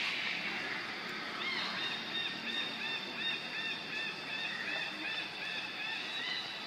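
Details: Baby monkey Lucie begging her mother for milk and being refused: a fast run of high, arched, whistle-like cries, rising and falling, repeated roughly every half second over a steady hiss.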